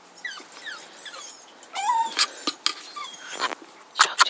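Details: Jock, a young Jug dog, whimpers outdoors over a cat it does not like. A strong, sliding whine rises then levels off midway, followed by sharp short yelps amid scattered bird chirps and a soft voice.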